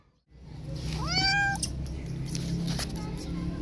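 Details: Street cat named Hope, a disabled mother who gave birth to three kittens, now with two rescued kittens: one clear rising-then-level meow with rich harmonics, over low steady background hum.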